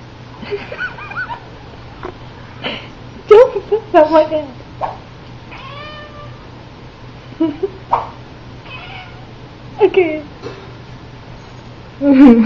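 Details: Pet cat Little vocalising at the sight of a horse whip, whose noise she likes: scattered rising and falling meows and trills, some clipped, some stretched, with people talking and laughing around her indoors.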